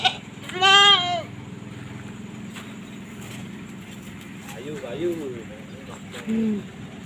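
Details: Goat shown for review before being sold: one loud wavering, nasal bleat near the start, followed by quieter voiced sounds and human speech, with a steady low hum beneath.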